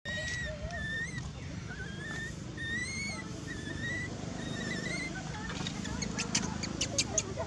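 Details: Monkey named Maci, frightened after a threatening scream from another monkey, Marcus, crying: a series of short, high, wavering whistle-like cries repeated through the clip over a steady low rumble, with some sharp clicks and taps toward the end.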